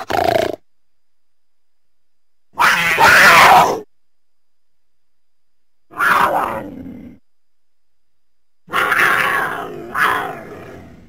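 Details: Mountain lion making a series of four harsh, explosive spitting hisses and snarls, each lasting about a second, separated by silences.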